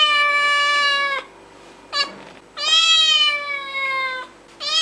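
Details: Cat giving two drawn-out, level meows with a brief chirp-like squeak between them and the start of another meow at the end, clear and close.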